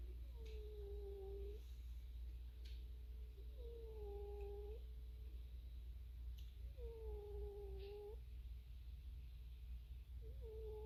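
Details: Snoring cat, each breath giving a quiet, level whistling note of about a second, repeating roughly every three seconds against a steady, low droning background.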